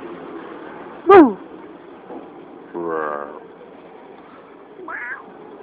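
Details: Puppy asking for a biscuit: a sharp high yelp that sweeps up and down near one second, a longer harsh whining cry around three seconds, then a short high whimper near five seconds over a low steady hum.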